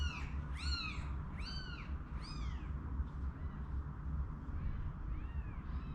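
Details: Newborn kittens, one day old, rescued from an unprotected cage ahead of a snowstorm and taken home with their mother, mew repeatedly: four high, arched cries in quick succession, then softer, fainter mews over a constant low hum.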